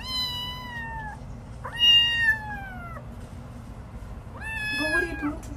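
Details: Domestic cat from a funny cat compilation giving three drawn-out meows, each about a second long with a slightly falling pitch and separated by short pauses, over a low indoor hum.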